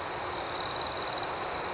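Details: Close, loud cricket trill at night lasting under a second, rapidly pulsed and high-pitched, rising out of and fading back into a gentle background of chirping crickets.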